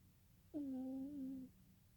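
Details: Sleeping kitten dreaming, giving a single steady hum-like tone that lasts about one second. It is flat with a slight wobble in the middle and clear overtones, then stops abruptly in a quiet indoor room.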